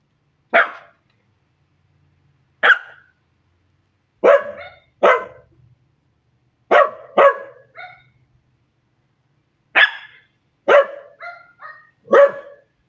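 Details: Bentley and Willow, a pair of chatty Scottish Terriers, call out to neighbourhood dogs with loud, clipped barks, single or doubled, coming every second or two, some ending in short higher yelps.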